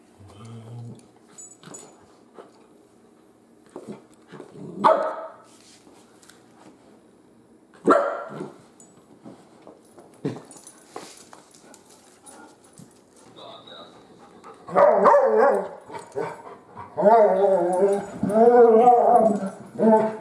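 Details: Young Great Pyrenees puppy Biscotti, a female nearly 3 months old, is mostly quiet with sharp clicks and thumps, then lets out a burst of high, yelping barks and wavering whining cries near the end.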